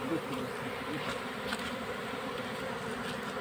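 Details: Honey bee colony being captured into a hive box while smoke is applied; a dense, steady droning buzz runs unbroken through the short recording over faint background noise.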